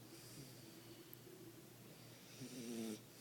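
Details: A sleeping French Bulldog snores softly in a quiet room: a steady low breathing hum, then near the end a louder wheezy snore with a slightly falling, layered tone that lasts about half a second.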